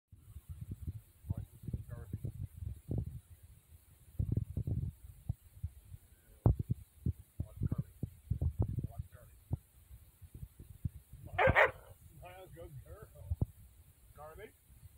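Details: An aggressive Plott Hound mix growls in low, rumbling, throbbing pulses while being petted, as a person talks nearby.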